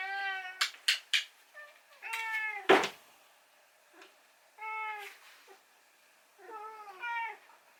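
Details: Indoor rescued cat asking for breakfast on a hungover morning, with insistent 'naan' meows. Brief tonal cries alternate with sharp tapping and knocking sounds, including one loud thud, before two more meows end the sequence.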